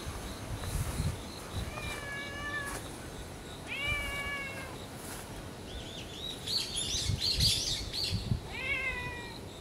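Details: Stray ginger tabby cats in a residential neighbourhood greeting and welcoming a person: several clear, tonal meows, each rising then level with rich harmonics, spaced a couple of seconds apart, plus a burst of high chirping notes and low outdoor rumble.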